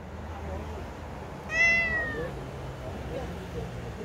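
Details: A single drawn-out cat meow, sharp onset then a gently falling, clear harmonic tone lasting under a second, over a quiet room background with faint low hum.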